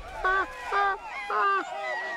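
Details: Gelada baboons grazing in a harem in the remote Ethiopian highlands give short, voiced, harmonic calls in quick bursts, a contact call they make constantly while grazing to keep in touch with their harem and group.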